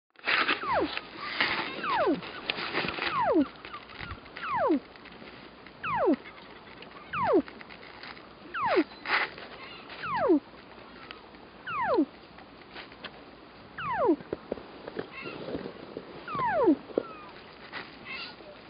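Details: A Weddell seal sleeping on shore on Ronge Island, Antarctica, gives eerie whistled calls that slide steeply downward, repeated every second or two; such calls are noted as normally used to communicate underwater.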